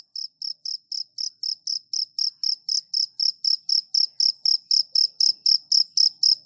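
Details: Cricket calling at night: steady high-pitched chirps, about four per second, evenly spaced and growing slightly louder, with no other sounds.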